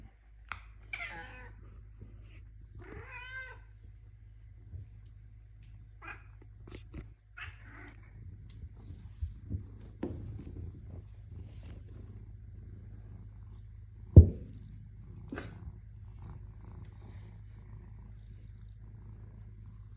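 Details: Melanistic black Bengal cat indoors in a small room, a low steady purr rumbling throughout, with two short rising-falling meows near the start and scattered clicks and one sharp knock midway.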